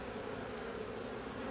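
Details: Drone-laying honey bee colony judged lost during inspection; thick, unbroken buzzing of many bees, a steady droning hum.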